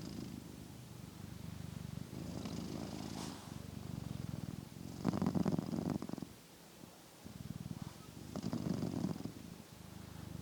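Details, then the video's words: A sleeping cat snores loudly, with slow rhythmic low rumbling breaths that swell and fade, louder bursts around the middle and end, recorded on new wireless microphones clipped near it; soft human remark nearby. "Loud Snoring Cat"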